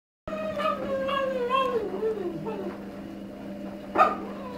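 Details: A Cavalier King Charles Spaniel, aged one and a half, cries for a female dog in heat who lives downstairs in the same house. It makes long wavering, whistle-like whines that slide downward over a steady low hum.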